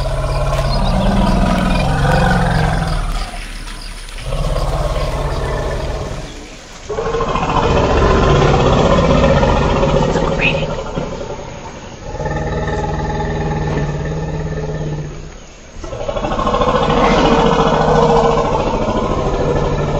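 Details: Elephant giving drawn-out, grating roars in three or four long bursts, deep and buzzy with layered overtones, each ending in a brief lull before the next call begins.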